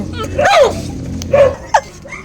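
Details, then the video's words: Hungry puppies of the dog Zoey give a sharp, falling yelp, then shorter squeaks and a rising peep, with human chatter and laughter around them. "Umiiyak na ang mga puppies mo, Zoey, gutom na sila"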